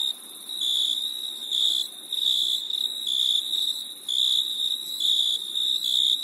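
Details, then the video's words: Crickets on a summer night, a high, bright chirping trill in bursts of about half a second to a second, broken by short gaps, steady and repeating throughout with no other clear sounds. "Crickets Chirping Sound"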